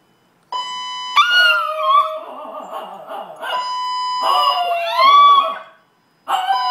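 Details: Two Chihuahuas in a condo respond to a blaring fire alarm. Its steady piercing tones dominate, with wavering, rising and falling dog howls woven through them in two stretches.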